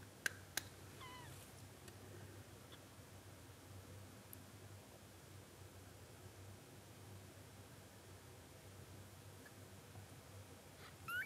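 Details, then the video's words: Short-legged Munchkin kitten on its first day of life utters a few faint, high, thin mews near the start and one rising squeak at the end, with long quiet stretches and light handling clicks between them. "A powerful meow of a kitten on the first day of life"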